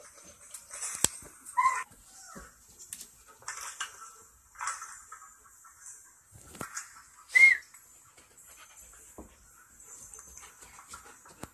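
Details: Kelpie and German Shepherd cross dog giving two short, high whimpers, one bending downward and one rising, several seconds apart, between soft huffs and rustling sounds.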